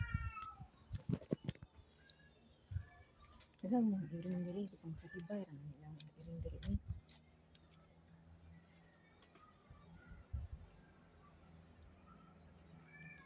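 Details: White kittens at feeding time give several short harmonic meows, some falling in pitch, amid a person talking and occasional knocks and handling noises, with quieter mews later in the clip.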